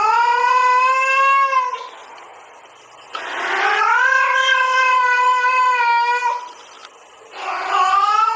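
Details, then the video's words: Haru, a domestic cat reacting to the mating call of a female cat, gives long drawn harmonic yowls, each steady and wailing for one and a half to three seconds, separated by brief quieter gaps. "cats reaction to sound that calls. he reacted for the mating call of a female cat."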